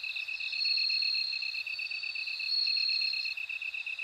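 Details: Bell cricket ringing in bright, drawn-out high notes that break and restart every second or so, layered over a fast, regular insect pulse. The background is otherwise quiet.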